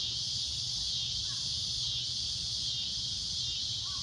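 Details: Loud shrill cicada drone at sunset, an unbroken high-pitched buzz, with a couple of faint bird notes and low background rumble.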